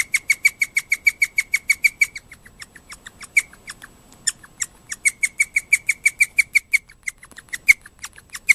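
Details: Guinea pig named Moka, kept indoors, suddenly squealing in the middle of the night, excited after a cagemate gave shrill squeaks; a fast run of sharp, high squeaks, about three per second, like an alarm, pausing briefly mid-sequence before resuming.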